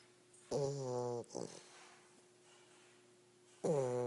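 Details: English Bulldog puppy snoring during a nap: two long, nasal, harmonic snores about three seconds apart, with a brief rattling breath after the first, over a faint steady hum.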